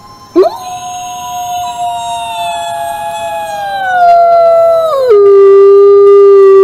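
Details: One long wolf howl starts with a quick upward swoop, then holds a level, clear tone. It slides lower twice and settles into a deeper, louder sustained note.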